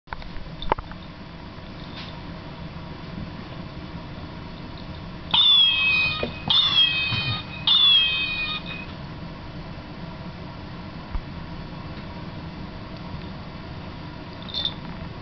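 A Maine Coon gives three short, high-pitched squeaky calls that fall slightly in pitch, close together.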